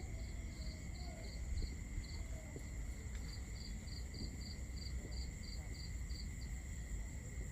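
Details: A cricket chirps in bright, high pulses about four times a second, in runs of several seconds, over steady insect trilling and a low rumble, on a summer night in Southern Europe.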